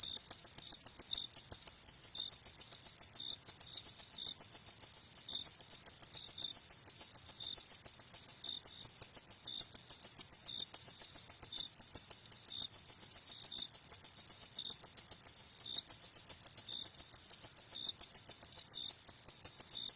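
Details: Continuous nocturnal cricket chorus: a dense, unbroken run of shrill, rapid chirps, with a softer lower chirp recurring about once a second throughout; no other animals or noise.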